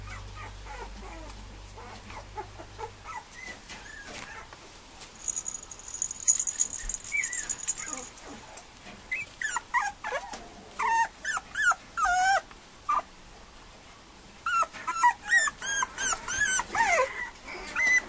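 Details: Male Mame Shiba Inu puppy whimpering: thin, squeaky, high-pitched whines that rise and fall. They turn into rapid bursts of short yelping cries during the second half, over a low background hum.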